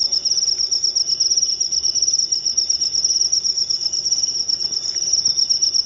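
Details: {'text': 'High, rapidly pulsing cricket chirps forming a nonstop shimmering trill, steady in loudness, with soft low-frequency background noise.', 'len': 19}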